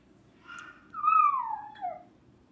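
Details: Female dog crying after hearing a young boy make a noise like crying; a soft whine followed by one clear, high whimper that slides steadily downward, then a brief lower tail, in a quiet room.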